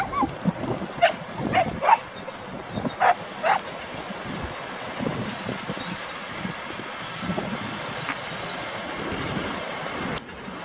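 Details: Dog barking during a three-day training session in Genoa, Italy, with an AmStaff female and a Staffordshire Bull Terrier male. A handful of short, sharp barks fall in the first three seconds, followed by quieter outdoor background.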